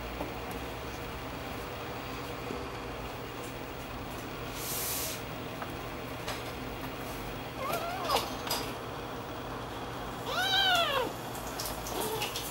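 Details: A Munchkin cat grooming a kitten it has come to get along with gives two short, high, arching meows over quiet household background noise.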